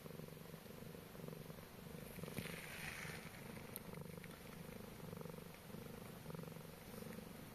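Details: Low, rhythmic purring from a Scottish Straight cat asleep with ducklings, steady rumbling pulses throughout, a brief rustle midway and faint high peeps from the ducklings.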